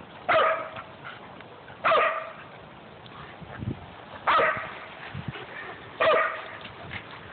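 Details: Pet dogs at home, a Great Dane, a Jack Russell and a golden retriever mix. Four separate loud, harsh barks come about one and a half to two seconds apart, with soft low sounds in the quiet gaps.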